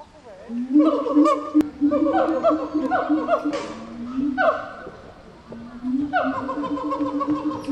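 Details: Gibbon calling, likely in a Japanese zoo, with a run of rising, hooting notes repeated in quick succession, pausing mid-bout, then resuming in an overlapping, harmonic chorus.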